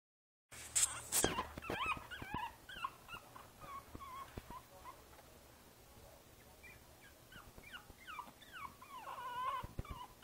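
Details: Princess Izzy, a five-week-old Boston Terrier puppy sitting in a basket, recorded 12/4/2011, gives repeated high, curving whimpers and squeaks in uneven bursts after some opening clatter and knocks.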